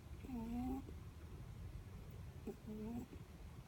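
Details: Netherland Dwarf rabbit asleep, snoring: two short, faint, nasal squeaky tones with a slight upward bend, each about half a second long and about two seconds apart, over a quiet low room hum.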